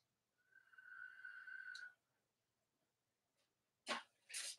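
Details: Cavalier King Charles Spaniel puppy from the litters of Robin and Myra, on a chilly Monday morning near Halloween, gives one steady high whine with faint overtones lasting over a second, followed by two short breathy sneeze-like bursts.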